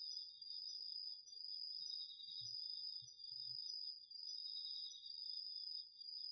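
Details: Crickets and other insects calling on an autumn night in a garden vegetable patch, captured with a DR-40X: two layered trills, a bright high one and a lower pulsing one, both continuous, with a few soft low thumps.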